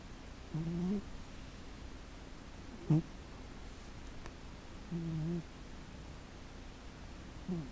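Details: A sleeping female cat snoring indoors: soft, low, rasping snores, each under half a second, come roughly every two seconds, with faint room hiss between them.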